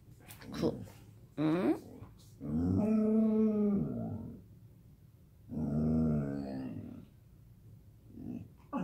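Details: Morning "babbling" from a Samoyed called Gomi indoors: short yips and whines, then two long, grumbling, wavering howl-like utterances with rich harmonics, ending in a brief whimper.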